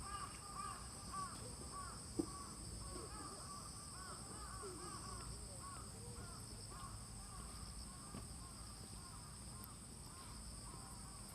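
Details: Autumn insects chirring on a rainy morning in Fujimori Park, Hachioji, Japan, 6 September 2020, under light drizzle: two steady high-pitched continuous trilling bands, with crows cawing repeatedly in the background.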